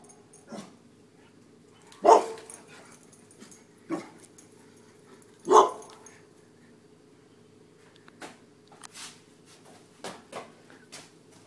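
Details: Dogs running from a deer mount, giving a few sharp, loud barks spaced irregularly, around two seconds apart, with softer yelps and scuffling between them over a steady low hum.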